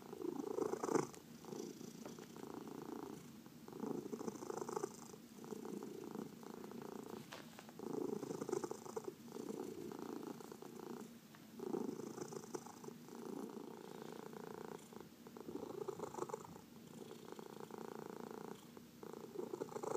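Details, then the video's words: Purring house cat being massaged, one of four cats sharing a home; long rhythmic rumbling purr rising and falling with each breath, faint soft rustling in a quiet room. "Four Purring Cats — Cat Massage"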